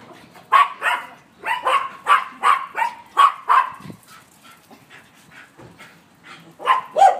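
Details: Yorkshire Terrier puppy running and playing with friends in a yard gives quick high-pitched yips and small barks, about two to three per second in uneven runs with brief pauses.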